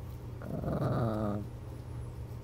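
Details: Chihuahua cuddling and curling up under a blanket at bedtime lets out one low, rumbling growl lasting about a second, rough at first then smoother and slightly falling, over a steady low indoor hum.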